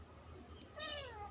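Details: Domestic cat in Bangladesh, kept indoors, giving one short high meow that bends downward, over a low room hum.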